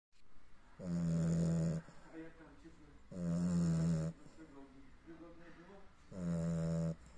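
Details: Sleeping Cavalier King Charles Spaniel snoring: three loud, low, rasping snores about every three seconds, each lasting roughly a second, with softer wheezy breaths in between.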